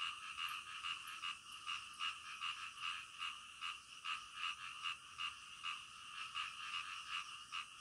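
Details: Frogs calling in the middle of the night, a chorus of short rasping croaks repeated about two or three times a second, rising and falling in loudness over a steady background of high insect-like hiss.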